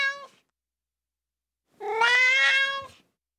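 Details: A ginger tabby kitten cries: the tail of one meow, a pause, then a single long, strained meow of over a second, slightly harsh and held level.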